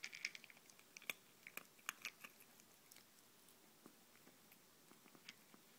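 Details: Izzy, a pet ferret, eats indoors from a bowl of ZuPreem kibble, FerretVite and chicken jerky. Sharp, crunchy chewing clicks come in irregular bursts, thickest during the first two seconds, then thin out to scattered single bites against a quiet room.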